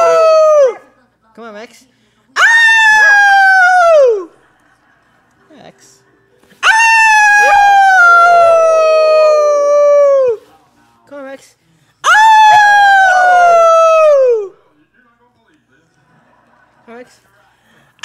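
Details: Pet dog howling alongside its owner, who is teaching it to howl: three long tonal howls, each held two to four seconds and sliding downward at the end, separated by pauses, with faint human voice between them.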